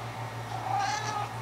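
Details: Pet cat singing to her sock: a faint, thin, sustained meow at fairly even pitch, partly masked by indoor hum and a woman's soft talk.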